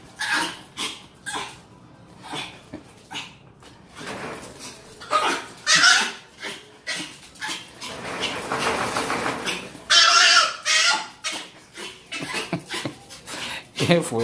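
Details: Female pet dog reacting to a strange sound with a long series of harsh, noisy vocal bursts, some longer whining stretches, indoors; a woman's Spanish speech is heard faintly between bursts.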